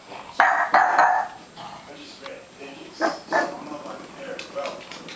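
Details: Holly the dog, frightened by graduation balloons, lets out two sharp barks close together, then a few quieter barks a couple of seconds later, while people talk nearby.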